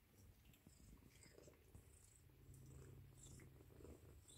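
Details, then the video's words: Ragdoll kitten, four weeks old, named Avery Aslan, purring while wanting to be cuddled indoors; a steady low rumbling purr runs throughout, faint rustling and small handling noises above it. "Ragdoll kittens 4 weeks old - Avery Aslan wants to be cuddled..."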